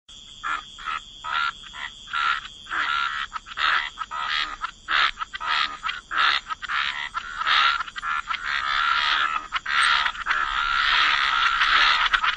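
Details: Frogs croaking by the waterside in a wetland chorus: short broadband pulsed croaks repeated roughly every second, building into a dense overlapping chorus toward the end; a steady high insect-like tone runs beneath.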